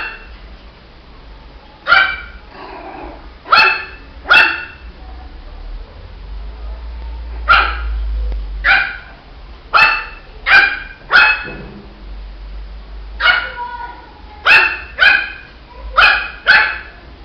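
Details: Shih Tzu puppy in a long barking bout, short sharp yaps grouped in bursts of two or three with pauses between, roughly fifteen barks in all, a low hum beneath.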